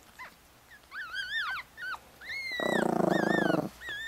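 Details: Four-day-old Chihuahua puppies, a litter of four males and one female, lying with their mother in Fredericksburg, Virginia. High arched squealing cries come in short bursts, then about a second of low, buzzy, rapidly pulsing growl-like sound.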